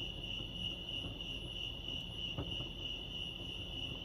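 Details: Continuous high trilling of crickets at Lake Arrowhead in California, an even, ringing tone of fast pulses that never pauses, with quiet low-pitched background noise and a single soft tap partway through.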